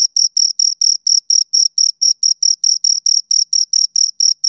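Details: High, buzzy cricket pulses from two crickets repeat at a steady brisk pace, each chirp short and clipped with clear gaps between. No other sounds are heard.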